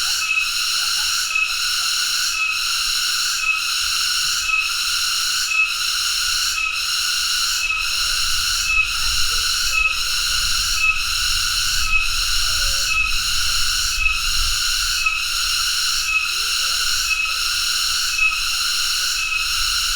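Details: A cicada, locally called tonggeret, holds an unbroken high, ringing buzz that swells and dips about once a second across the whole stretch, with soft low background noise.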